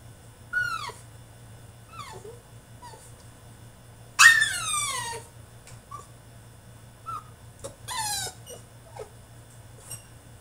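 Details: Shut in his cage, a male French Bulldog throws a tantrum of thin, squeaky whines. Each one slides downward in pitch, with two louder sliding cries standing out among softer whimpers.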